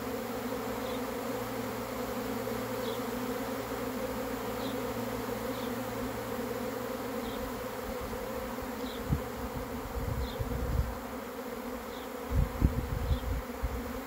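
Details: Honey bees swarming in, a steady deep buzzing drone with faint high chirps at regular intervals; low rumbling thumps and bumps join in the last five seconds.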